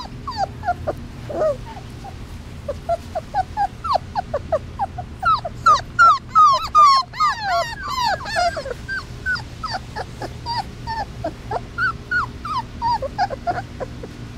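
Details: Three-week-old Basset Hound puppies, outdoors for the first time, cry for their mother in a chorus of high, squeaky whimpers rising and falling in quick succession.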